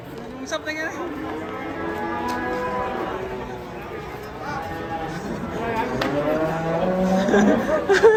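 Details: Raging cow lowing in long, wavering, harmonic-rich moos, one building from about one second and another near six seconds, with men's voices and chatter around it.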